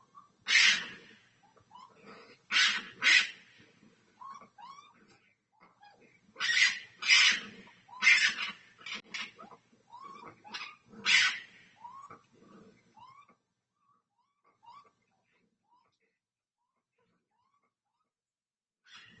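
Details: A red fox, identified from research and AI, gives harsh, raspy screams in short bursts with thin squeaky notes between them, caught overnight on a doorbell camera.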